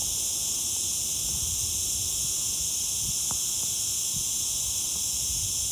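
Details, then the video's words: Summer insect known locally as zeet zeet, a cicada: a continuous, hissing high-pitched buzz holds steady throughout, with a few faint low knocks beneath. "صوت حشرة الزيط زيط الصيفية"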